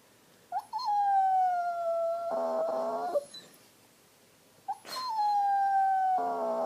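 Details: Dog in a temper tantrum over his bone pushed under the sofa, giving two long nasal whining howls, each starting with a short rising yip, holding a slowly falling tone and breaking into a rough, buzzy ending.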